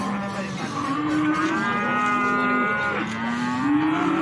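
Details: A continuous, sustained lowing from feeder cattle at the Plaosan cattle market, Magetan. It shifts pitch slightly partway through and runs unbroken for over four seconds, with background crowd noise.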